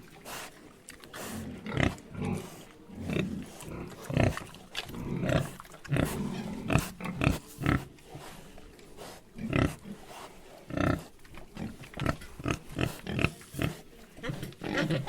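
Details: Pigs on a farm keep up a steady run of deep, snorting grunts, some closely stacked and others spaced apart, with a few louder, sharper snorts over about fifteen seconds.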